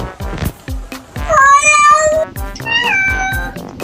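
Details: Domestic cat giving meows that sound like human words: one drawn-out meow with a wavering, falling pitch, then a shorter rising-falling meow. Rhythmic music thumps underneath.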